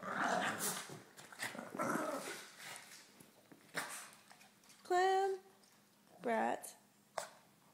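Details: Two Boston Terriers play tug-of-war, growling in rough rumbling bursts followed by a couple of high, rising whiny yips.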